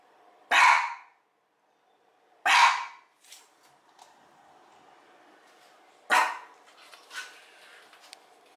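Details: Mameshiba, one year old, keeps barking toward an empty street through an opened window as a guard dog: three loud, abrupt barks spaced about two seconds then four seconds apart, with faint smaller sounds and a quiet room between.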